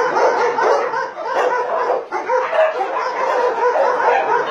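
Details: Continuous mass barking from about 150 dogs, among them Chow Chows, Shar-Peis, Dobermans and Golden Retrievers, at a meat farm cum puppy mill in Nonsan, South Korea, January 2017; loud, overlapping, unbroken barks.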